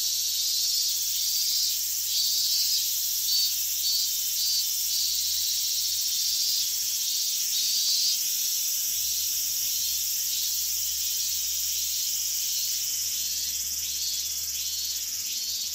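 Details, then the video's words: Higurashi cicadas calling at very loud volume in August 2011 near the restricted-zone boundary in Minamisoma, Fukushima; overlapping high-pitched pulsed phrases repeat rapidly above a steady shimmering drone, no other sounds. "蝉しぐれ （ひぐらし）"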